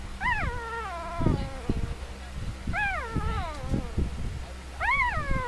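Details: Three-day-old puppies asleep, said to be dreaming of chasing rabbits: three high, falling whimpering cries with clear harmonics, spaced a few seconds apart, over low rumbling handling noise.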